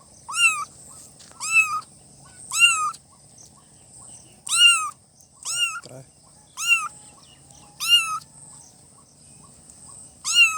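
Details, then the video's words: Cute newborn kittens giving repeated high meows, each a short arched cry with bright overtones, spaced about one to two seconds apart with brief gaps, a soft thump midway and a faint high hiss behind. "Kitten meowing|kitten meowing sound effect|"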